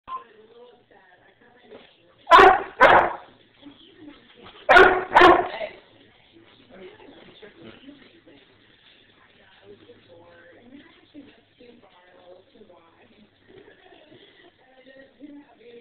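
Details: A pet dog asked to bark on command barks in two quick pairs of sharp woofs, then a person's voice continues quietly in a room.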